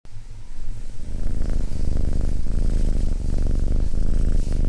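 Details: Abyssinian cat sitting calmly beside a person, purring: a deep, steady, rumbling purr with a fast pulsing rhythm that continues throughout.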